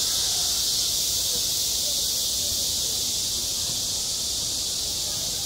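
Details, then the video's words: Cicadas sing at a school playground in high summer: a dense, unbroken electric hiss fills the upper range at a steady volume throughout, with no pauses and only a faint low rumble beneath. "한 여름 운동장에서 매미가 울고 있다 - 여름의 소리, 학교 종소리, 매미 울음소리"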